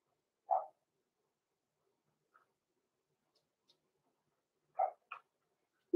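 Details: Roman and Blue, six-week-old blenheim Cavalier King Charles Spaniel puppies from a small litter, indoors. One clipped yap, a long quiet stretch with a tiny squeak, then a quick double yip near the end before a loud bump.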